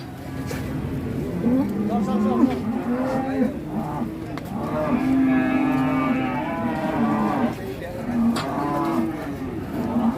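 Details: Huge agitated cattle being unloaded from a truck at an Indonesian farm. Long, loud droning moos with rich stacked harmonics hold for several seconds, with brief pauses between them. A few human voices are faintly heard.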